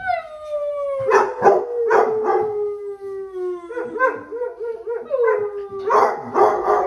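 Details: Basset hounds howl together on a weekend: a long, smoothly descending moan runs under rough bursts, then turns into a rapidly warbling, yodel-like stretch before a loud, harsh closing cry.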